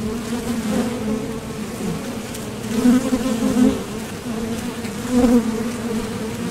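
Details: Honeybees buzzing at the entrance of a Top Bar Hive as foragers leave for and land from nectar trips; a steady low hum with swells of louder buzzing near three and five seconds as bees fly close.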